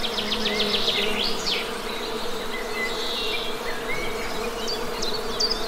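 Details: Low, continuous buzzing of honey bees beneath quick bird trills at the start and short high whistles scattered afterwards.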